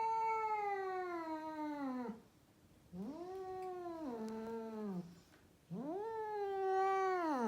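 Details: Female rescued cat in Mumbai, India, giving drawn-out caterwauls: three long, harmonic-rich wails, each rising then sagging slowly, separated by short quiet gaps, in a small indoor space.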